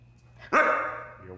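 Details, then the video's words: Siberian Husky "talking": one brief, rising then gently falling harmonic yowl lasting about half a second, with a faint start of another vocal note at the end. "Funny Husky Videos Talking"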